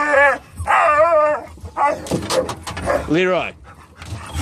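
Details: Excited dogs in the back of a car heading to a pet store, an Elkhound mix leading with crazy whines and howls that set off a Labrador mix and a Rat Terrier; long, bending harmonic whines in bursts, with a person talking between them.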